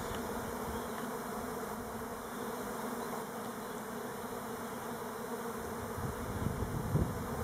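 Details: Buckfast honey bees of the Elgon line on Timrarö close to Stockholm, out on orientation flights rather than swarming; a thick continuous droning buzz from many bees, with a few louder knocks and rustles near the end.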